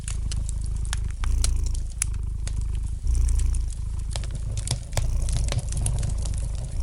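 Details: Deep continuous purring of a domestic cat, its loudness rising in breath-paced waves about every two seconds, while a fire in the fireplace snaps and crackles lightly throughout.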